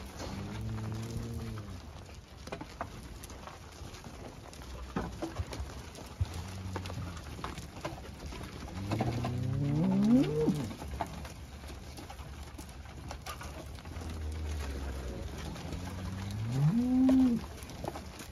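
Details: Charbray cattle lowing: several low, drawn-out moos with rising and falling tones, the loudest near the middle and end, over steady patter and background hiss.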